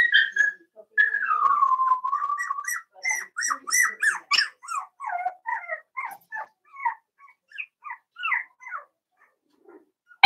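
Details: Daisy's 4-week-old Cavalier King Charles Spaniel puppies in their pen: a long drawn whine sliding downward, then a rapid series of thin rising and falling yelps and squeaks, ending with a loud knock.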